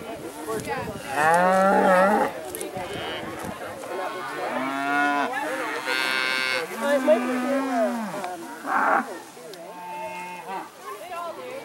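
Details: Herd of dairy cattle turned out onto pasture for the first spring day, mooing repeatedly: a series of overlapping moos of varied pitch and length, some strained and rising, from several cows across nearly twelve seconds.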